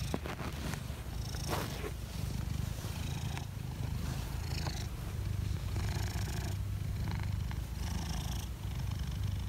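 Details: Domestic cat lying under a table, purring steadily: a low, continuous rumbling drone with a regular pulsing rhythm, broken by a few faint rustles and soft higher clicks.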